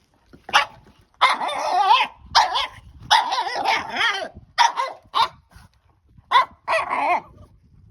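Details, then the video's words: Excited French Bulldog puppy named Margo with her new stick, giving a string of high, yappy barks and wavering growl-barks, some drawn out over a second, separated by brief pauses and quiet scuffling. "Frenchie vs. Stick! Sound On!!"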